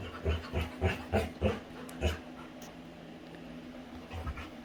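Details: Female Labrador retriever playing with her owner, panting in quick, regular low puffs, six in a row, then a pause before two softer breaths.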